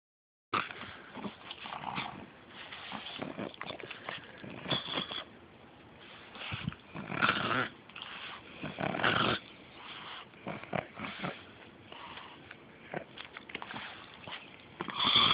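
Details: Pug named Beanie, a female pet dog, snorting into the camera: a steady run of short, rough, breathy snorts and wheezy bursts with brief pauses, a few louder snorts clustered in the middle.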